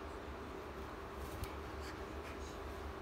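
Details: Low steady hum and faint indoor background noise, with a few soft high clicks and no animal voice.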